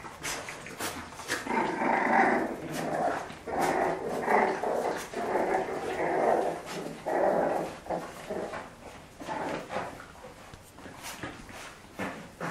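A French Bulldog growls and grumbles in bursts during play fighting, with sharp clicks and knocks.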